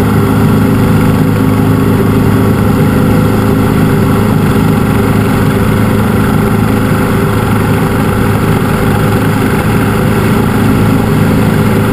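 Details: Loud, constant engine drone, like an idling machine or aircraft, fills the recording with no animal sounds.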